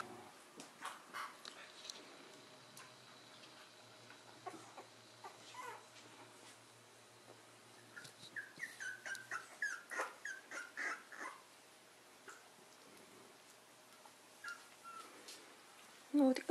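A corgi gives a run of short, high whimpers and yips indoors.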